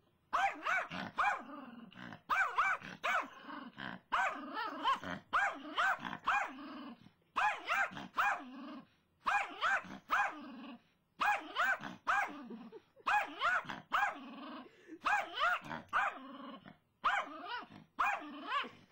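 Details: Brittany, a female dog, barks frantically at a squirrel seen in her front yard: tight clusters of rough, strained barks in bursts of three to five, separated by brief silent gaps.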